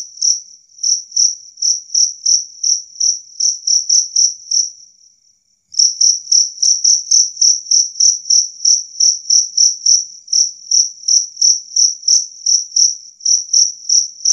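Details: Loud, clear chirping of a two-spotted cricket, used to chase off rats: rapid high chirps at roughly three per second, a short pause with a faint trill near five seconds, then the chirping returns steadily.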